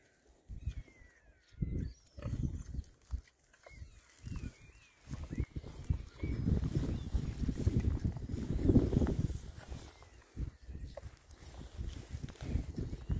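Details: Winter forage for six rare-breed Oxford Sandy and Black boys between storms: deep grunts arrive in separate bursts, then merge into steady low rooting and chewing, while small birds chirp faintly in the background.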